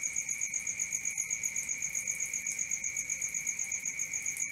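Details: Crickets chirping through the night, high piercing pulses repeated around four per second in a steady rhythm, two sustained pitches, soft low background noise.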